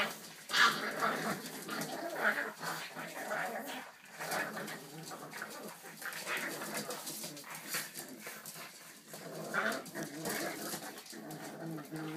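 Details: Boston Terrier puppies in a unified play attack together, giving short high yips and squeaks amid a steady scuffling, rustling clatter of tussling bodies.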